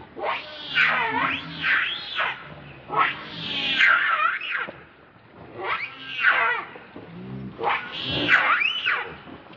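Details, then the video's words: Hungry baby monkey named Leo, nicknamed Rainbow, crying and begging its mother for milk; shrill, wavering screams rise and fall in repeated bursts about every two seconds, with short pauses between. "Very Angry Need Milk"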